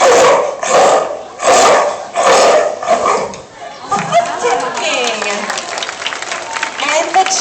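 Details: Sparky, a female California sea lion (Zalophus californianus) at Como Zoo, gives four loud, hoarse barks in quick succession during a zoo vocalizing event, followed by an announcer; California sea lion.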